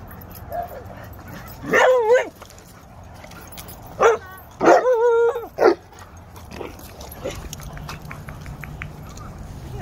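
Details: English Mastiff and pitbull playing together at a dog park; a few loud, drawn-out harmonic yowling barks with wavering pitch, each under a second, in two bursts around two and five seconds, with people talking faintly.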